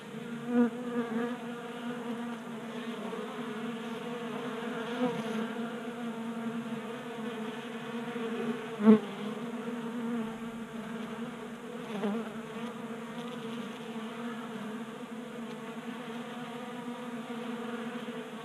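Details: Steady buzzing of many honey bees feasting at a 3D printed bee feeder in a Colorado garage during a mild January spell, with a continuous low drone and a few sharp clicks or taps.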